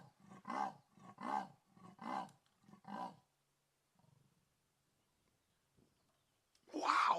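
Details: A female leopard in a tree in South Africa on New Year's Eve gives a rasping call, four deep, coarse saw-like strokes under a second apart, thought to be calling for her wandering 13-month-old cub.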